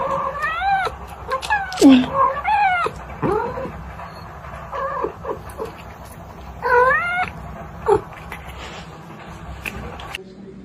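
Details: Domestic cat in a funny pet compilation giving drawn-out, wavering meows with arched rise-and-fall pitch, several in quick succession early on, then another cluster near seven seconds, over a low steady background hum.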